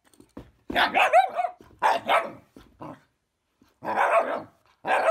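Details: A female Shiba Inu in West Sussex, England, scared of and disliking a fidget spinner, lets out loud, strained, whining bark-screams in drawn-out bursts, some with a rising squeal, separated by brief gaps.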